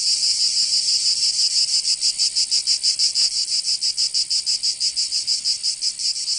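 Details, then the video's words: Chorus of cicadas on a summer day in Provence, France; a high rasping drone that settles into evenly spaced pulses roughly three per second, growing more distinct toward the end. "Canto Cigarra 🦗 [ Escuchar les cigarras en verano 10 H]"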